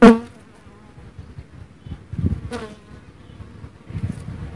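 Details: Dark honey bees (Apis mellifera mellifera) give a low, wavering wing-buzz hum, broken by a few sharp knocks and clicks.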